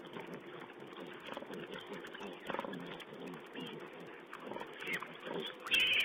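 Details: Wild boar piglets feeding, camera recording from 16 April 2010: busy grunting and rustling, building near the end to a louder, harsh squeal.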